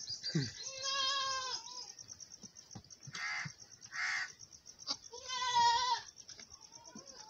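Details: Farm goats during a mother goat's nursing of her big male kid: two long harmonic bleats, each about a second, with breathy noisy bursts between them and a low thud at the start.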